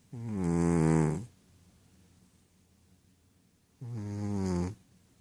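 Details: Rohan, a Ragdoll cat, snores while asleep and dreaming: two drawn-out, low, rasping breaths about a second long each, separated by nearly three seconds of quiet.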